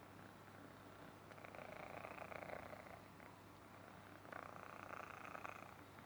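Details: Himalayan Persian kitten purring indoors: a steady low rumbling hum runs throughout, swelling into louder breathy surges around the second and again near the fifth second, with no other sounds.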